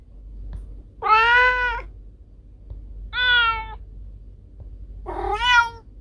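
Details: Cat calls put forward as a rat repellent: three drawn-out, steady, nasal meows of under a second each, separated by pauses, in a quiet room.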